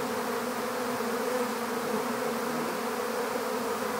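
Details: Many honeybees of a swarm, captured into an empty beehive, hum together in a steady, even drone with slight shimmering variation and no other sounds.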